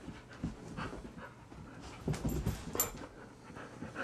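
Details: Found stray in Greenville, South Carolina, a male Rhodesian Ridgeback called Blaise pants in quick, uneven breaths, with a brief louder burst midway against faint background hum.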